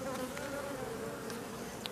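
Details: Massed buzzing of honey bees from a drone-laying colony, their frames shaken off some fifty metres from the apiary. A continuous mid-pitched hum with a few brief sharper flicks above it.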